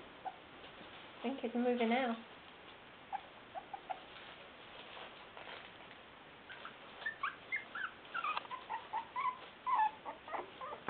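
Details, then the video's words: West Highland White Terrier puppies, five weeks old, playing as they attack a puppy pad; a brief harmonic whine near the start, then quick strings of thin yips and squeaks, irregular and overlapping, amid soft scuffling. "Westie Puppies"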